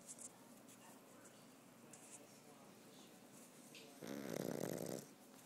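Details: Sleeping dog Goski gives a single rough, rumbling snore lasting about a second near the end, after a quiet indoor stretch.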